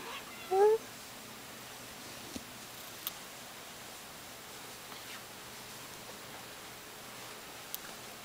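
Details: Kitten in Sechelt, indoors; one short, sharp, slightly rising meow right at the start, then a quiet room with a few soft clicks and taps.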